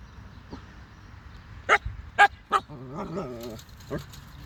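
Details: Little Siberian Husky pup barking at sheep. Three sharp barks in quick succession, then a wavering, harmonic whine that bends up and down, and one last softer bark near the end.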